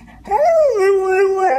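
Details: Pet dog "talking" in a speech-like way, one loud drawn-out vocalisation that rises sharply, bends down into a long steady moan and lifts again at the end, with no other sounds.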